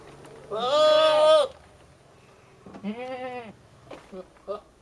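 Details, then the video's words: Male billy goat calling at a female nanny goat to show his love: a loud, strained, nasal yell of about one second, then a shorter falling bleat, followed by faint short grunts. "Funny billy goat yelling weird sounds at nanny goat"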